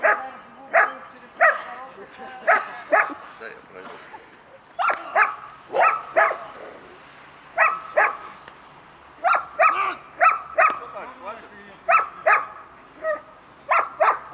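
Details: Working German Shepherd barking during protection training to develop an active-defensive reaction against a decoy: sustained series of strong, harmonic barks, often in pairs, repeated roughly every half second with brief pauses.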